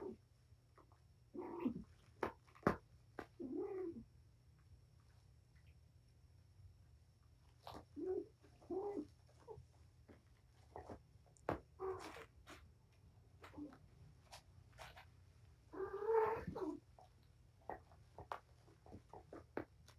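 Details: Mother cat, surrendered while pregnant and now with five kittens (four males, one female), wound up and playing with her litter indoors; short scattered meows and chirps come in irregular bursts over a quiet room, with occasional thumps.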